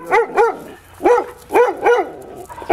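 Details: Podenco Ibicenco dogs kept in an enclosure on Ibiza, giving five sharp arched barks in quick pairs and singles, with faint road works noise behind.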